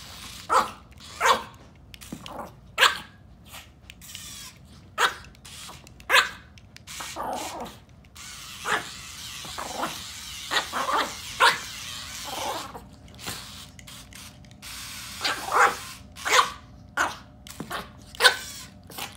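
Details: Chihuahua yapping almost nonstop in a compilation of angry, happy and crying Chihuahuas, rapid short high barks every half second or so, some louder bursts near the end, with a steady low background hum.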